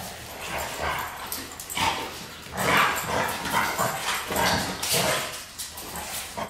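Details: Dog barking because it wants its soccer ball out of the pool: rough, broadband barks in irregular bursts roughly once a second, some drawn out, with noisy surroundings.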